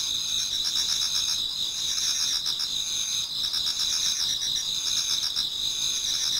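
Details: Many insects chorusing in a Japanese garden toward dawn in autumn: shrill continuous trills high in pitch, interwoven with quick pulsed chirps repeating roughly four times a second.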